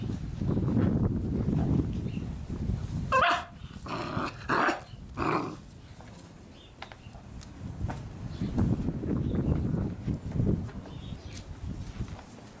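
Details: Six-week-old Labrador Retriever puppies: a short cluster of four or five harsh, broadband barks and yelps in the middle, with low growly rumbling and handling noise before and after, and faint bird chirps in the background.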